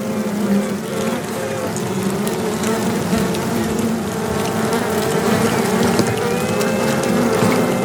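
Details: Piping queen honey bees in a box, recorded close up, calling so other queens can locate them for battle; sustained buzzing tones that slide slightly upward, set against a dense, steady hive hum.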